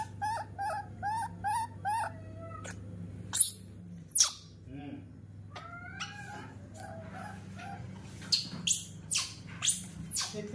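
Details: Rescued baby monkey throwing a tantrum in a kitchen on seeing milk being prepared: rows of short, shrill, wavering squeals, then harsh drawn-out screeches, over a steady low hum, with a man talking in Indonesian.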